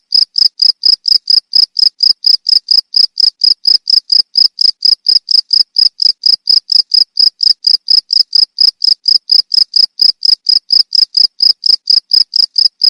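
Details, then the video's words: Cricket chirps meant as a model for training songbirds, a rapid, even series of shrill pulsed notes at about four per second, unchanging in loudness, with a quiet background. "Suara jangkrik untuk masteran burung"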